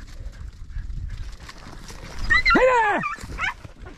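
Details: Podenco hunting rabbits in 2023, giving a single drawn-out bark that arcs up and falls away, followed by a short second yelp, over a background of rustling and field noise.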